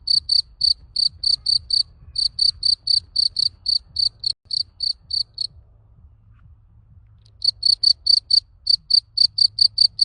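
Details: Summer cricket on a garden plot chirping in rapid, evenly spaced high-pitched pulses, then falling silent for about two seconds before resuming the same quick chirping rhythm; faint low background hum.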